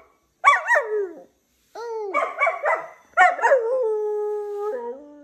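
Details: Berlín the Siberian husky howls and yodels in three bursts: quick wavering yips that bend up and down, then a long steady held note that drops lower at the end.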